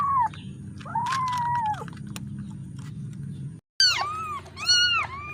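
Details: Kitten crying for its mother, separated from her: long mewing calls with a level, slightly falling tone, then after a brief gap several higher, sharper, bending meows in quick succession.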